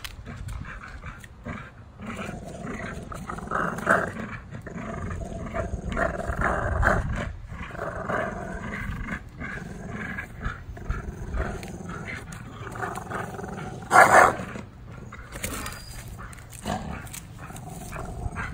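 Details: Pair of tri-color American Bullies, Gusto and Big Girl, growling during a playful afternoon tug-of-war; deep rumbling growls in waves, a sharp loud burst near the end.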